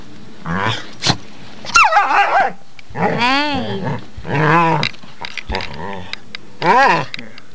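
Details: Two female pit bulls, Harley and Lilly, playing together under a bed indoors; wavering, moaning grumbles and throaty growls come in short bursts of about a second, with a sharp click early on and people talking between the sounds.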